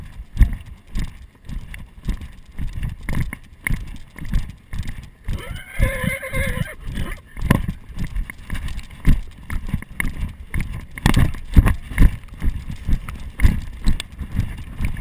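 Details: Arabian horse ridden in Sicily, recorded on a GoPro Hero 2 during the ride: steady rhythmic hoofbeats throughout, broken midway by a brief, high, harmonic whinny lasting about a second and a half, after which the clopping carries on.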